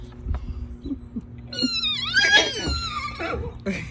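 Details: Morgan horse squealing on meeting a bossy pony it has lived with for three months, after dinner while both are turned out for the night; a loud, high, harmonic squeal lasting about a second, with a woman speaking calmly beforehand.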